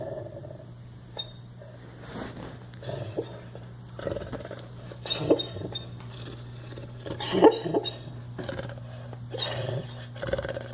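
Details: A sleeping dog snoring: soft, rasping breaths that swell and fade in a loose rhythm, roughly every two seconds, over a steady low hum in the room.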